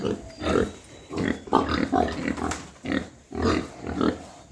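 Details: Morning on a white pig farm in Hooghly, India: loud, husky grunts in regular bursts about every second, each a rough low-to-mid rumble, with faint background noise between them.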